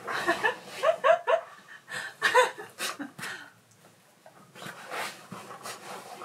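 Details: A Siberian Husky named Key talks insistently because he wants to play, giving short whiny yodelled vocal bursts with stacked tones in quick succession, then breathy panting and a person laughing.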